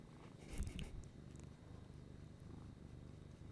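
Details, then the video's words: Indoor female pet cat purring as she is stroked and praised; a deep, continuous, even rumble throughout, with a brief rustling bump near the start. "this is a kitty over here and my kitty is purring"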